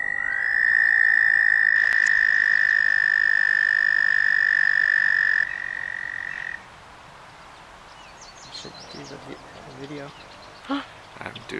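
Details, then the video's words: A toad calling in a vernal pond gives a long, steady, high musical trill that holds one pitch for several seconds. "toad calling in vernal pond"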